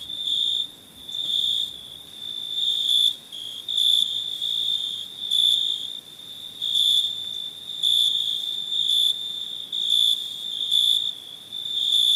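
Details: Crickets at night producing a sustained shrill trill, punctuated by louder pulsing bursts every second or so, over a quiet background.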